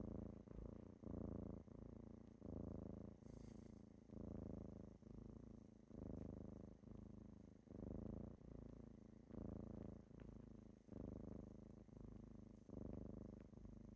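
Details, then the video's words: Kittens rousing their owner in the morning with a sustained rumbling purr, regular swells of inhale and exhale repeating about every second and a half, one short rustle early on. "Morning with kittens"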